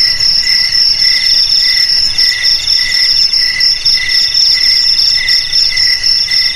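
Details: Crickets trilling in a steady, dense chorus, offered as a sound for keeping rats away from homes, garages, storerooms and rice fields; high, shimmering pulsed chirps in stacked bands repeat rapidly without pause, several callers overlapping.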